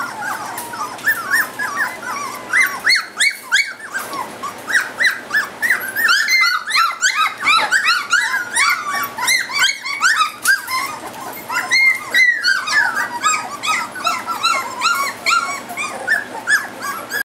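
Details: Three-week-old Goldendoodle puppies, including a lime green ribbon female, whimper and squeal in a busy, overlapping chorus. Short, high, bending cries come about three per second, with a couple of brief lulls.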